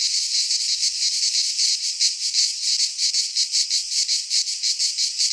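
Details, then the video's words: Midsummer chorus of cicadas in Greek pine woodland, a harsh high buzz throbbing in quick regular pulses, loud and unbroken, nothing else audible. "Cicadas singing in midsummer - Nature sounds from the Greek fauna - Sounds of cicadas"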